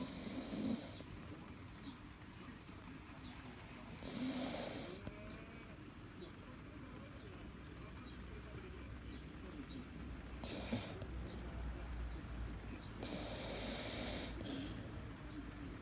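A sleeping Akita snores steadily, a low rumbling rasp repeated with each breath.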